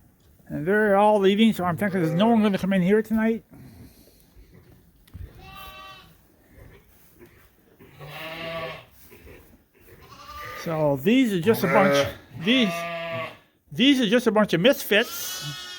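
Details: Suffolk lambs at Ewetopia Farms, several groups mixed together in the barn after escaping through an open gate. Loud, quavering bleats come in bursts, some drawn out for seconds, with short gaps of quieter calling between.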